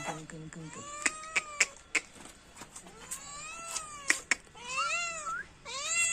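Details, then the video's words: Pet cat calling with a series of bending, whiny meows, the loudest near the end, over human speech and repeated sharp knocks. "Cat meowing sound effect"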